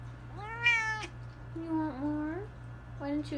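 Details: Cats meowing over a steady low hum: a loud, bright rising-falling meow, then a lower, wavering drawn-out meow and a short third one, with a person talking to the cat about dinner and food.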